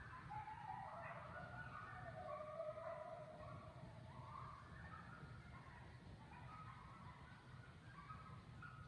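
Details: Coyote; group howl; calling to each other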